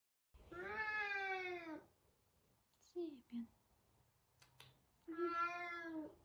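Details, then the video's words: Savannah cat Sabian seeking Sabina, two long harmonic meows with short chirpy cat sounds and a faint click between them in a quiet room. "Talkative Savannah cat!!!"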